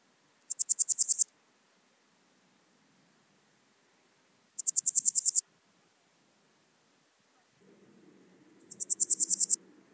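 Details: Swiss gold grasshopper (Podismopsis keisti), recorded in Wildhaus, Switzerland, in autumn: three evenly spaced short bursts of rapid, high, dry pulses, each rising in volume, about four seconds apart, with faint low rumble before the last.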